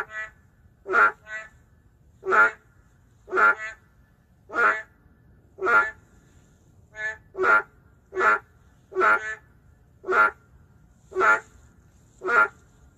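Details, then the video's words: In an urban setting, endangered narrow-mouthed frogs give a steady chorus of short, nasal, bleating croaks roughly once a second, some doubled with a quieter echoing reply. "맹꽁이 울음소리"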